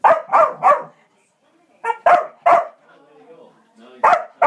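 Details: Kerry Blue Terrier pet dog harassed by a squirrel, giving rapid clusters of sharp barks, three in a row, then two more after a pause, with faint low background sounds and a final pair of barks.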